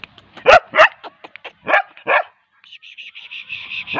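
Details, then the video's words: Bull terrier giving two loud, harsh barks with softer yips between, two more full barks, then a rapid stream of high, thin squeaky pulses running to the end. "bull terrier kid dog barking"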